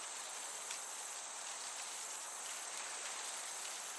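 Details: Crickets chirping in a summer meadow with a gentle breeze: a dense, high, shimmering trill runs without a break, pulsing faintly, over a soft broad hiss of wind.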